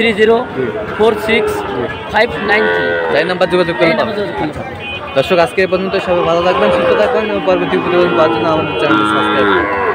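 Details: Sahiwal bull calves at a market on 5 October, bought by farmers from various regions; several overlapping calf moos, wavering and drawn out, rise and fall through ten seconds over a busy background of human voices and crowd noise.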